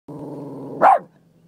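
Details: Boston Terrier confronting goats it dislikes: a steady low rumbling growl lasts most of a second, then breaks into one sharp, loud bark that fades quickly into quiet.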